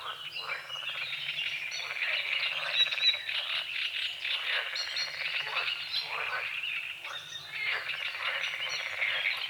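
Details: Morning frog chorus recorded at dawn over a small forest-edge lake with water lilies and calamus; steady, fast rattling croaks repeat densely throughout, while birds sing and chirp alongside.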